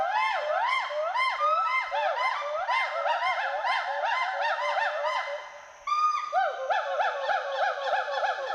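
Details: Western hoolock gibbons, two individuals playing in forest trees at Assam's Hollongapar Gibbon Sanctuary, give loud territorial and social whoops. A continuous stream of fast, overlapping rise-and-fall whoops breaks briefly, then resumes just as intensely.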